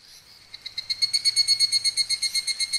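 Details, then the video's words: Higurashi cicada recorded in Oku-Mikawa, Japan: a rapid pulsing trill of high, shrill notes, about six pulses per second, swelling in loudness after a quiet start and holding steady to the end. "ヒグラシ(Tanna japonensis)の鳴き声"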